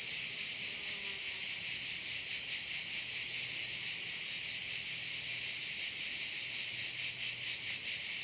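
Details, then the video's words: Chorus of crickets by a bay on the island of Korčula, Croatia, a continuous high buzzing wash throbbing in soft regular pulses, with faint low rumbles in the background. "view of one of the bays in Korcula with sounds of crickets"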